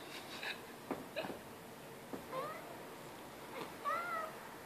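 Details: A domestic cat gives two short rising-then-falling meows near the end, the second louder and clearer, after several soft clicks and knocks in a quiet indoor room, with a brief spoken word in French before.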